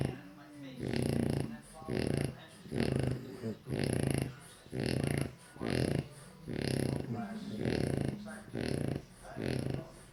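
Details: French Bulldog snoring loudly during a nap: regular rattling, nasal snorts repeating about once a second, throaty and buzzy, with brief quiet breaths in between.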